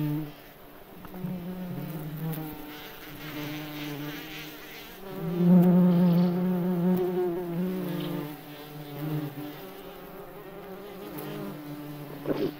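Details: Wing sound of a May bug in the forest: a steady, low, humming drone that runs almost unbroken, swelling louder near the middle and then easing off.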